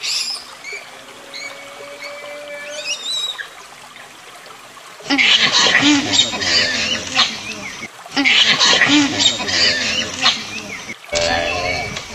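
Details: Proboscis monkey calling: thin, high bird whistles open quietly, then two loud, harsh, raspy bursts of nasal calling, each lasting about three seconds with a brief gap between them, then a shorter burst at the end.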